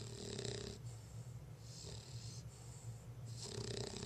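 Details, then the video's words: Snoring from Lola, a drowsy female bulldog: hissing, rattly breaths come in two long bursts with a softer one between, backed by a steady low drone. "Lola the bulldog snoring"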